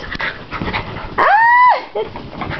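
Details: Male Miniature Pinscher pet, almost two years old, behaving excitably indoors: a single loud, high, tonal whine lasting about half a second, holding steady before dropping off, with a person's voice and scuffling around it.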